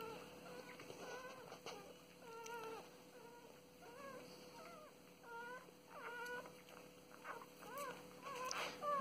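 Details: Newborn puppies about 36 hours old, eyes and ears still closed, away from their anxious mother, cry with thin, rising-and-falling squeaks and whines, one after another.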